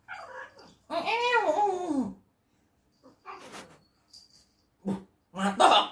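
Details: Pet cat grumbling angrily after being teased while trying to sleep; a long wavering yowl with rising and falling pitch, then short huffs and a few brief clipped cries close by indoors.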